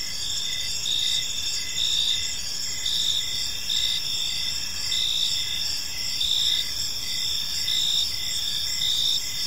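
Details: Crickets chirping through an evening in a peaceful park: steady high trilled pulses in several layers, short bursts repeating about once a second over a continuous insect hum, with faint low background rumble.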